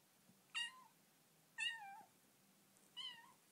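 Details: Bengal kitten named Dilly meowing in her new home, three separate harmonic meows about a second apart, each starting high and sliding down, the last softer; quiet room with a low background hum.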